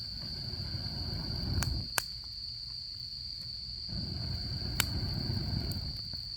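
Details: Autumn insects keep up a steady high trill at a campsite while the fire roars and fades in low whooshing swells, with a couple of sharp wood pops cutting through.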